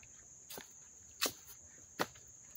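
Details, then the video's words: Dobbs Ferry, New York, late August 2024: crickets at a Little League field give a constant high, thin trill. Three loud footstep crunches cut across it. "sounds of the crickets chirping"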